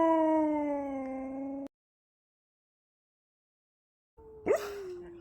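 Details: Siberian husky howling at the pink moon: a smooth, steady, slightly falling howl held under two seconds, a long silence, then a second howl sliding gently downward.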